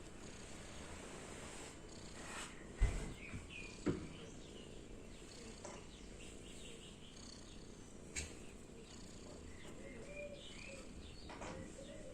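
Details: Sleeping cat Lucy makes contented purring sounds of happiness, a soft, continuous low rumble with faint rhythmic pulses, a couple of sharp knocks early on and light bird chirping in the background.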